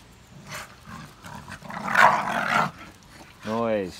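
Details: Staffordshire Bull Terrier puppies tussling in a game of tug of war; a gravelly growl builds in the middle, then a short whiny yelp follows, with a person speaking throughout.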